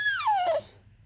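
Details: Four-month-old Cane Corso x Bullmastiff puppy, a female wanting something, gives a short whine that glides steadily downward and fades within about half a second.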